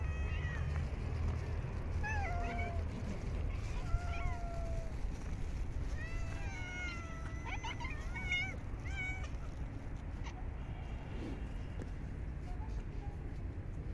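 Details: Homeless park cats in freezing winter weather while being fed; scattered softer meows, some wavering, cluster in the middle, partly buried in heavy low-frequency outdoor rumble, with a quieter tail.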